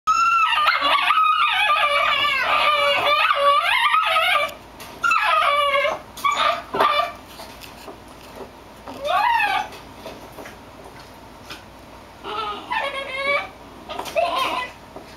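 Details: Two Basenjis give warbling, yodel-like calls that waver up and down in pitch, in bursts, made when both want the same toy.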